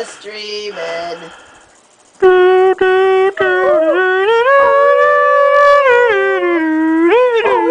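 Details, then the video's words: Jack Russell terrier howling to its owners' singing and music, a brief higher sound first, then one long sustained, wavering howl that swells upward and dips near the end. "Little Thunder, Big Howl"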